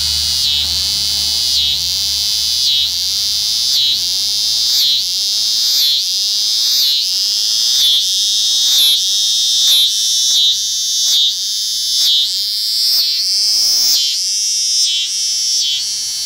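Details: Eastern scissor-grinder cicada, Neotibicen winnemanna, in unusual courtship behaviour: loud, shrill, high buzzing drone pulsing in rapid waves, broken by brief dips roughly once a second, giving a steady grinding rhythm throughout.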